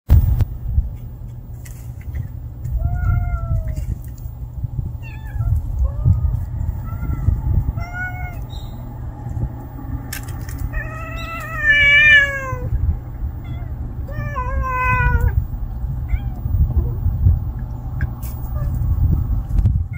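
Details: Kitten, a young stray cat that cannot live without its mother, giving a series of thin, high meows, some short and some drawn out with a falling end, spaced a second or two apart over steady low rumble.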